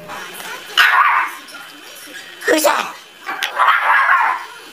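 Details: Angry dog barking: three loud, rough bark bursts spaced about a second apart, with a person speaking and music in the background.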